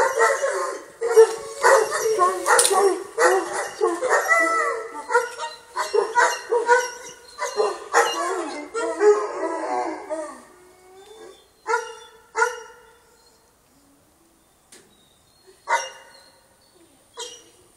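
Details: English Mastiff at a ranch, a busy chorus of short yips, barks and wavering howls crowding the first ten seconds, then thinning to scattered brief yelps with quiet gaps; a voice faintly present.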